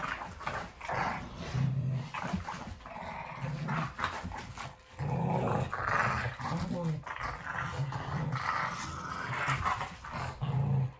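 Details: Boston Terrier and Keeshond playing tug indoors; repeated low rumbling play growls in bursts of a second or so, with a person talking over them.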